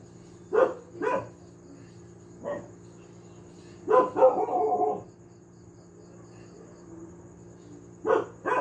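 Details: Pet dog barking noisily at home: scattered single and double barks, one drawn-out yowling bark near the middle, long quiet gaps between, low hum in the background.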